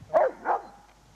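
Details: Pet dogs out at Whitelees Woods in spring 2002 give two short, sharp barks in quick succession, mid-pitched and about a third of a second apart, with quiet woodland behind.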